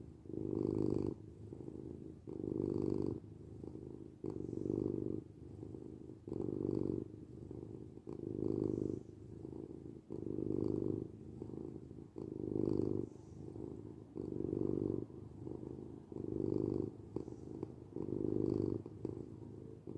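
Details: A domestic cat purrs steadily, a low rumbling hum swelling and fading in pulses about every two seconds.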